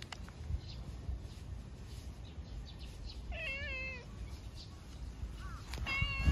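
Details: A community stray cat comes out to greet the person, giving a clear tonal meow that slides and wavers downward, followed about two seconds later by a second rising meow, over a steady outdoor background hum.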